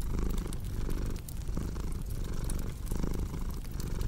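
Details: Low, continuous cat purr pulsing with the animal's breathing roughly every second, layered under the snapping and crackling of a wood fire.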